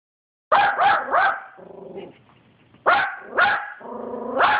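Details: Yorkshire Terrier barking at a dog seen on TV: a quick burst of three sharp, harmonic barks, a lower drawn-out whining growl, then three more barks after a brief pause.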